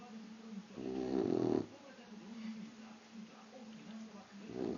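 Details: Sleeping Boxer puppy indoors gives a raspy, buzzing snore on one long breath, then softer wheezing breaths and a second snore starting at the end.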